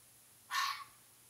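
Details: A single hoarse, scratchy fox call, brief and loud at first, then fading within about a third of a second, against a quiet background with a faint low hum.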